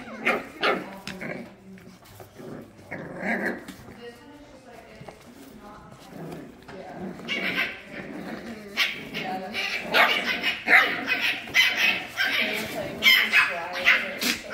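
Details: Rambunctious 7-week-old French Bulldog puppies yip, whine and growl in short bursts while playing together, with some speech.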